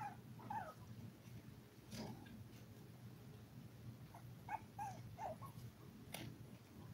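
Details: Five-week-old toy poodle puppies from a litter of seven: scattered short, thin whimpers near the start and a small cluster of high yips later, set against a constant low rumbling hum.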